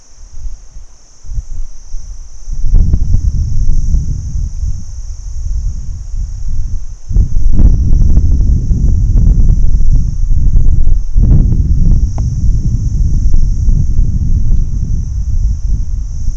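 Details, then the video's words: Daytime cricket chorus, a continuous thin high trill that never pauses, partly buried under heavy low roaring and rumbling bursts, like wind or passing vehicles. "Cricket insects Day01 - Sound Effect HD"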